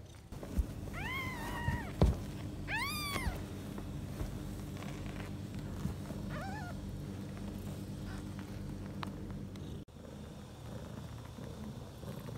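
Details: Domestic mother cat with four newborn kittens, six hours after birth, purring steadily in a low rumble while several thin, rising-falling high mews, probably from kittens, are heard early on, followed by a soft thump near the end.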